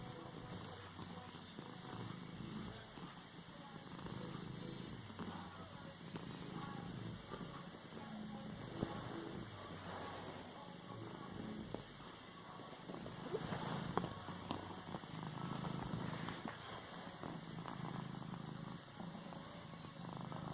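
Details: Domestic cat purring while padding and kneading a pillow: a low, steady, continuous rumbling purr with soft pulsing through the whole stretch, over a faint background hum.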